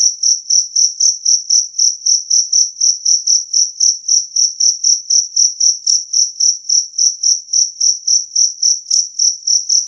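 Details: Loud, crisp calling of a two-spotted cricket (jangkrik kalung), promoted for repelling rats; a long run of high pulsed chirps near four per second, very regular, with a couple of faint clicks.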